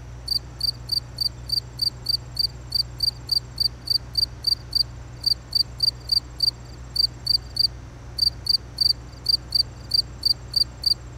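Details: Cricket calling steadily, bright high-pitched chirps in tight clusters of two to four with short pauses between, roughly three per second, a faint low drone underneath.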